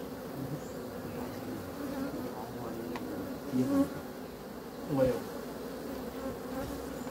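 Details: Continuous honey bee drone, a low even hum with two brief louder swells where an insect passes close.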